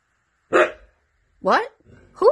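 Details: A dramatic Siberian Husky gives three short calls: a rough yelp, then two clearer, rising and falling whines in quick succession, about a second apart.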